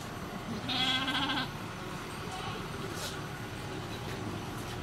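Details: Goat at a cow farm around the birth of a kid: a single shaky bleat under a second long, somewhat masked by steady noise, followed by faint background sounds.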